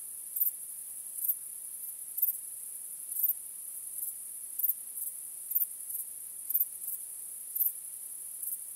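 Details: Under a starry night sky, crickets keep up a constant piercing high trill, with louder chirp bursts spaced close to one second apart, nothing else audible.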